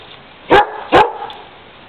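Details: German Shepherd dog barking while trying to climb a ladder after birds: two strong, abrupt barks roughly 0.4 seconds apart over a low steady background hiss.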